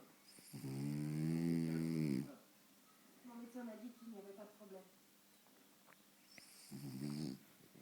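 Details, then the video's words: French Bulldog sleeping very deeply in front of the TV; a loud harmonic snore lasting nearly two seconds, then quieter chatter from the television, then another shorter snore near the end. "mon bouledogue français ronfle devant la télé"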